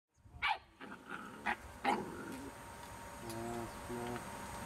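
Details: Rhodesian Ridgeback puppies: a few short, high squeaky yelps in quick succession near the start, then fainter murmuring sounds and low hum in the background.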